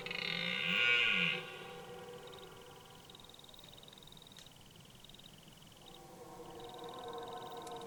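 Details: Forest red deer bellowing at the opening of autumn rut: one loud, brief arched roar that rises and falls at the start, then fainter raspy moaning near the end, over continuous shrill pulsing insect trills.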